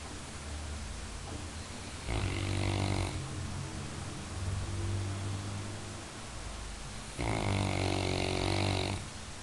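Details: Labrador Retriever deep asleep, jokingly called the finest guard dog, snoring in two loud rattling bursts about five seconds apart, each a second long, with a softer low drone of breath between them.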